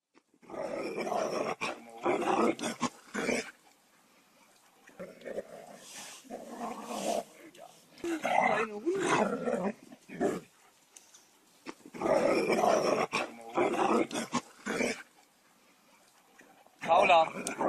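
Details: Several dogs playing together at a dog training field on a nice day, giving rough, harsh bursts of growling and barking in clusters separated by short quiet gaps, with human voices mixed in.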